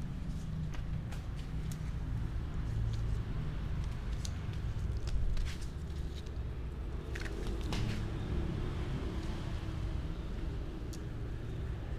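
Steady low vehicle rumble with a few faint clicks and knocks, and no animal voice.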